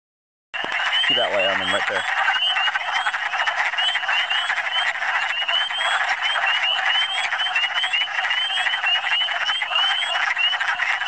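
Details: Spring wood frog chorus from Michigan, many calling together: steady mass of short rasping clucks throughout, with a short burst of a man talking near the start.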